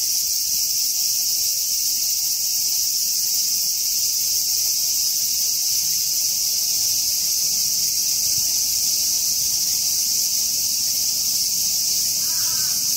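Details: Hyalessa maculaticollis cicada singing while feeding, filmed up close. A steady, dense, hissing buzz runs unbroken and evenly loud through the whole stretch, with no pauses or pulses visible, over quiet low background.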